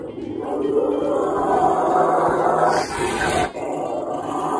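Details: A male Rottweiler gives a long, steady, rumbling growl, his happy sound, as he begs to play with his beloved towel.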